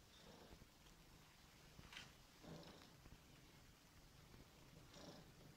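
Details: Somali cat of fawn colour purring while being cuddled indoors; a soft, steady low rumble continues throughout, with a few brief rustling or snuffling bursts.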